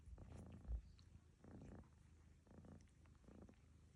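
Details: Lucy, a house cat, snores as fellow cat Barfi licks and cleans her; deep rumbling pulses come roughly once a second, four grainy bursts over a low continuous drone.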